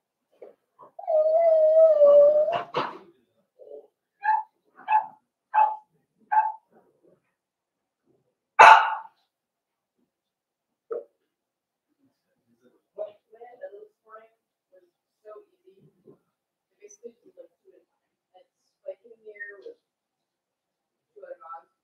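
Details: Cavalier King Charles Spaniel puppies at four weeks in an indoor pen: a drawn-out, wavering whine lasting nearly two seconds, followed by several short yelps, one sharp louder cry, then faint scattered squeaks.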